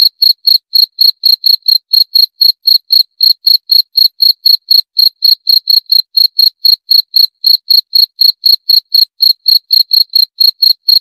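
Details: Cricket calling in a long regular train of sharp, shrill chirps, around four each second, bright and clear against complete quiet.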